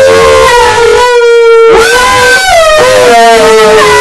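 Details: Two Alaskan Malamutes sing together, howling in long, steady, mid-pitched notes that bend slightly up and down.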